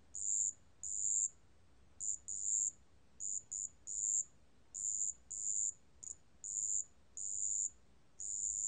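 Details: Chirping of a marsh bell cricket, 2020 National Institute of Biological Resources recording: high, clear ringing notes in irregular short bursts, some brief, others near half a second, with quiet gaps between.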